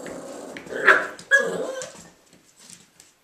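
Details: Three young male Irish Jack Russell Terriers, Mushroom, Portobello and Patty, at play in a small room, giving two loud growling barks in quick succession that trail into soft, fading grumbles and yips.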